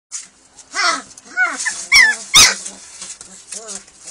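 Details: Hungry German Shepherd puppies at feeding time: several pups give high, downward-sliding whines and sharp yelps in an uneven stream, some overlapping, with a person's voice in the background.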